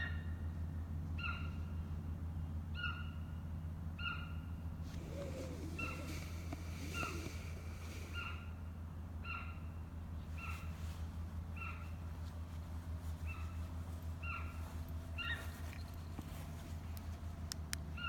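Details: Hokkaido sika deer recorded on 7 November 2017: short, clear tonal notes with bright overtones, repeated steadily about every one and a half seconds over a constant low rumble of background noise.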